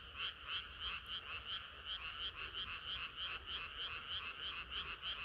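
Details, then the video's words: Frog chorus on a hot summer night: rapid, evenly spaced croaking pulses from several frogs, about three per second, over a faint low hum. "개구리들의 합창은 끝이 없어라#개구리소리"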